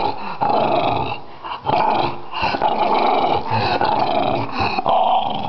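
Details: Finnish French Bulldog giving a steady, throaty growl, a sustained rumbling grumble broken by brief catches of breath roughly once a second.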